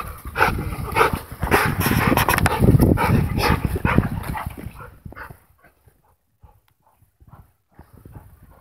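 A pit bull terrier gives rough, low, rapid barks and growly noises for about five seconds, then falls quiet.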